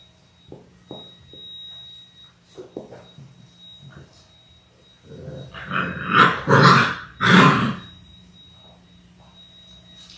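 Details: Labrador Retriever puppies in their sixth week, a litter of six born January 18, 2022, on a live puppy cam indoors: a few soft taps and rustles, then three loud rough growling bursts close together near the end, with a steady background hum.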